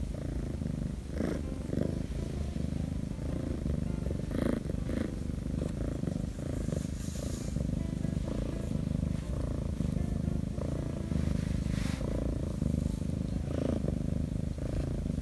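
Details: Rescued stray Korean shorthair kitten Shattongi keeps up a continuous purr as its owner strokes its paws and belly; deep rumbling drone pulsing with each breath, occasional rustling and handling noises on top.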